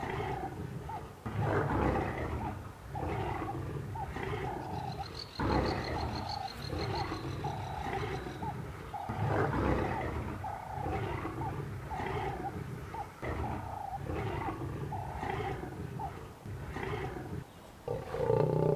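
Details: Fighting African lions on the savanna, a long stretch of repeated guttural roaring grunts in uneven pulses, low and rasping, with brief pauses between bursts and soft music in the background.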